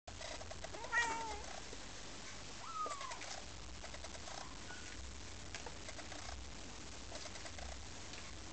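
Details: Four-week-old lilac and chocolate British Shorthair kittens from one litter give thin, high mews over a steady background hiss.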